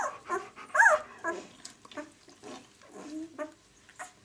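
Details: Six-day-old White German Shepherd puppies of the B litter from the "of White Night" kennel, giving soft whimpers and squeaks in short bursts, one louder rising-and-falling squeal near the start, with quiet gaps between.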